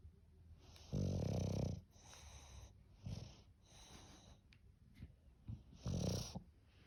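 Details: Sleeping English bulldog snoring in a rough, throaty rhythm: a long loud rattle around one second, a softer snort near three seconds, small snuffles, then another strong rasping snore at six seconds.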